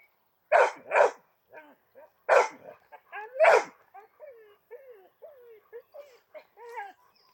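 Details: A large Argentino and a small chihuahua bark in four loud rough bursts during the first half. A string of thin, bending whines and whimpers follows, repeated roughly every half second to the end.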